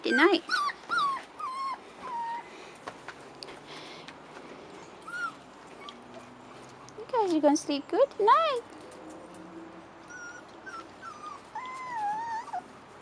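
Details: First time outside, 4.5-week-old Rottweiler puppies let out brief squeaky whimpers, a tight run of downward-curving cries near the middle and a few thin whines toward the end, amid soft voices.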